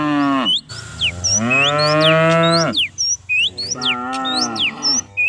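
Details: Dozens of cows herded down a hill every morning in the village countryside, lowing in long harmonic moos, one short and one drawn out with a falling end, while birds whistle and chirp high above.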